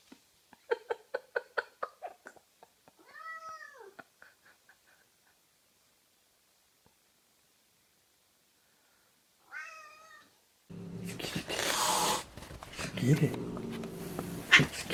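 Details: Domestic cat from a funny compilation: a quick series of short chirping calls, then a longer arched meow, a pause, another meow near ten seconds, and finally loud rustling noise.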